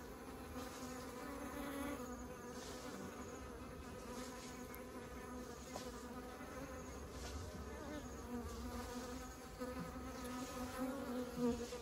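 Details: Continuous low droning of many honeybees bringing honey into the hive, an even layered buzz with slight swells in loudness toward the end.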